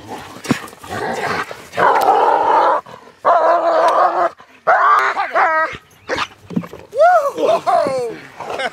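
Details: German Shepherd during obedience and protection dog training, gripping and driving hard. Loud shouted commands fill the first half, then several sharp, arching barks come in quick succession near the end.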